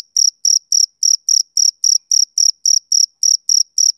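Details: Male cricket giving a run of bright, high chirps, about thirteen in four seconds, each a short buzzy burst, with nothing else audible.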